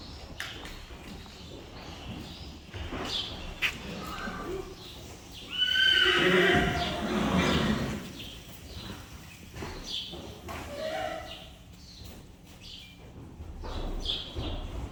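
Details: Friesian horse during foal deworming; young horses are tied up for handling. Around the middle comes a loud, wavering neigh of about two seconds, with hoof clatter, shuffling and a person talking before and after.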